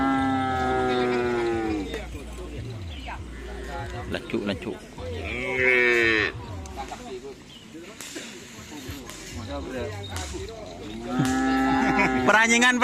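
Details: Cattle at karapan sapi bull race training on the Asemanis field, Pamekasan, Madura, ahead of Tim Gagak Rimang's anniversary; drawn-out harmonic moos that rise and fall, several calls across the stretch, over a low drone with music and voices.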